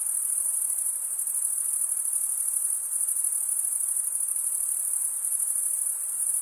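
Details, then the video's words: Male crickets stridulating, their wings rasped together into an unbroken, piercing high trill that stays level and even across the whole stretch, with no other sounds. "cricket sound"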